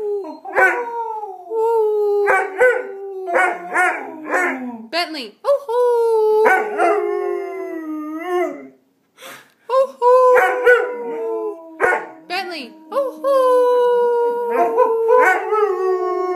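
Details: Bentley, a six-month-old Greater Swiss Mountain Dog, learning to howl: long wavering howls that slide downward, broken by short yips and barks, repeated in bursts through the clip with a brief pause midway.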